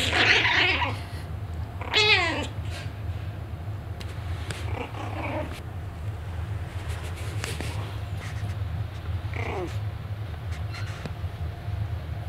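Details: A Maltese puppy barking at its own reflection gives a few high, thin yaps, each sliding downward, over a low steady hum.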